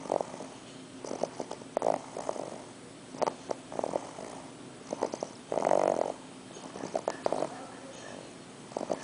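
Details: English Bulldog puppy asleep indoors on his first night in NYC after a long trip from Kansas, snoring in rough, breathy bursts about every second, with one longer, louder snore midway.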